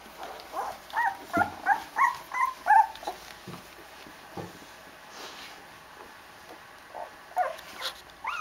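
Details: Eight-day-old Rhodesian Ridgeback puppies crawling in the litter box in search of cuddling: a quick series of about seven rhythmic whining yelps in the first three seconds, a quiet stretch, then a few renewed whines at the end.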